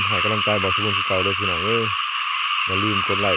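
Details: Rice-field frogs: low, nasal croaks pulse quickly about five times a second, pause briefly, then resume, all over a constant high-pitched chorus from a great many frogs.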